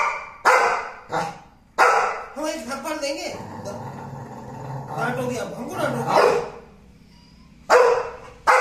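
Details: American Pit Bull Terrier, shown alongside an American Bully, giving loud, sharp single barks at irregular intervals, about four across nine seconds, with Hindi speech filling the gaps between them.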